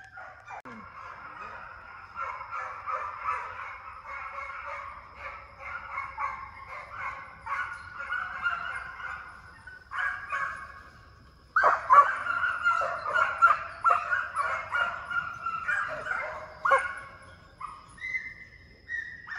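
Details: Hound pups in training run after coyotes inside a high-speed fox pen, building speed and endurance. Several dogs bay together in a dense overlapping chorus of yelping cries. A brief lull comes midway, then louder baying and a held, drawn-out howl near the end.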